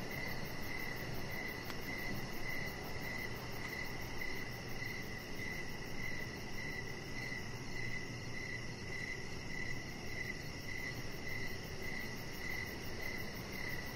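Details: Crickets chirping in the evening beside a deck where a chihuahua puppy named Rocket lies under decoration lights; bright, even chirps repeat roughly every half second over a steady low rumbling hiss, with a fainter high pulsing trill above.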